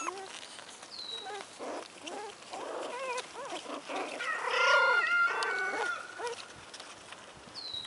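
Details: Four-week-old American Hairless Terrier puppies whimper and squeal in short rising and falling cries, several overlapping, with a clear whistled tone and human voices in the background.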